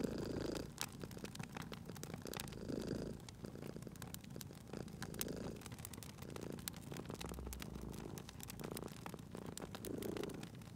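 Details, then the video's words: Sleeping cat purring near a fireplace in cozy spring ambience: soft, low purr swells recur every couple of seconds, rather quiet, and largely overlaid by dense crackling and popping from the burning fire. "Cute Purring Cat at a Crackling Fireplace"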